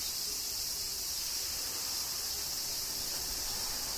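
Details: Cicadas in Kyoto, Japan, during summer rain: an even, intense high-pitched sizzle with no breaks, under a light patter of rain.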